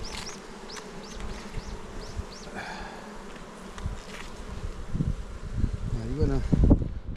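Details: Low continuous buzzing of honey bees around an opened hive on Jirisan, Korea, while frames are checked; short arched chirps from a bird sound overhead early, then louder thumps and rustling of frame handling near the end.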